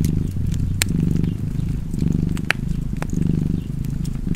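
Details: Low vibrating purr from a cat, rising and falling rhythmically with its breathing, punctuated by bright clicks and pops from a crackling fireplace.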